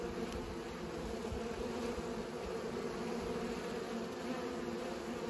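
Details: Pollinating bees give a continuous, even buzz, a dense layered drone with no pauses, with faint scattered ticks in the background.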